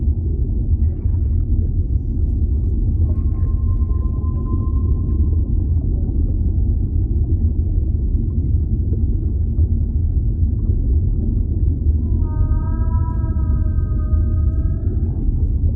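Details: Whale calling underwater: a thin, level whistle-like tone holds for about three seconds, then later a richer, harmonic, flat moan lasts around three seconds, all above steady deep ocean rumble.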